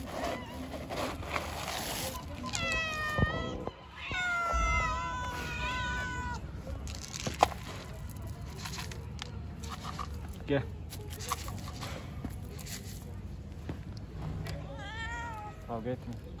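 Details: Hungry street cats approaching to ask for food: several loud harmonic meows, some long and wavering, others short and rising, repeated at irregular intervals, with clicks, rustling and faint background noise between calls.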